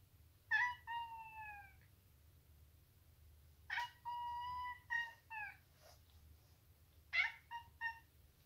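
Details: A female Maine Coon gives three bursts of bright chirping, trilling calls while fighting, some held steady, others sliding downward.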